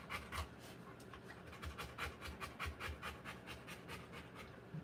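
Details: Rottweiler giving birth to puppies, breathing in fast, slightly uneven pants, with soft clicks and rustles mixed in.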